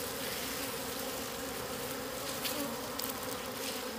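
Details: Wild bees at a hidden nest of wild honey in the wild: a steady, dense humming buzz with a low droning tone and a higher overtone, unbroken throughout, with faint crackles of background hiss.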